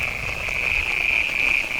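Frogs give a steady, high, unbroken trill to attract mates, with a soft hiss of rain behind.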